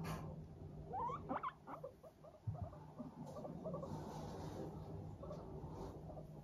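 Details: Several pet guinea pigs, Teddy and Abyssinian, chattering contentedly while walking briskly in a happy mood: a few quick rising squeaky notes early on, then soft scattered chirps over a low background hum.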